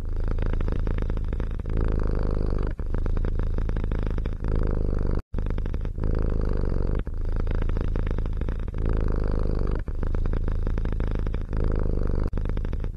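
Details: Deep rhythmic purring from a cat, a dense low buzz that swells and eases in phrases of a second or two, with one sudden silent break around five seconds.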